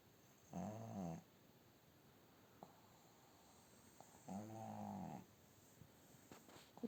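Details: A sleeping female pug snores indoors, one of several pugs that sleep beside their owner: two low, harmonic rasping snores, each under a second long and about four seconds apart, with quiet background hiss between them.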